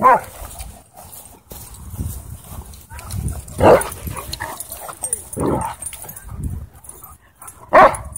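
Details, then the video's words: Wolfdog challenged by several dogs at a dog park; sharp barks and yips burst out at intervals, loudest near the end, over outdoor rumble and human voices. "Wolf Dog Gets Challenged By Multiple Dogs At Dog Park"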